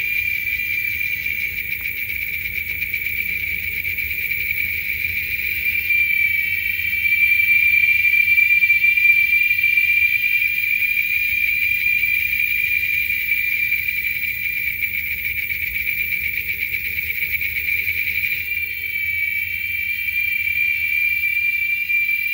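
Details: A chorus of male Giant Cicadas in Texas, louder than a lawnmower, gives a shrill, steady, high-pitched droning whine that swells and fades slightly without pause.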